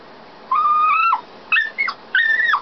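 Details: Dog crying inside a canal boat, locked in while its owners were out doing the locks: three high whines, the first long and level, the others shorter and bending.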